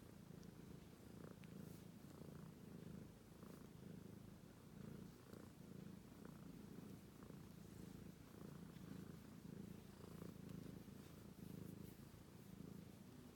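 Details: Deep, continuous purring from Romeo, a sleeping British Shorthair kitten; the low rumble pulses gently with breathing, with a few faint soft clicks over the steady drone.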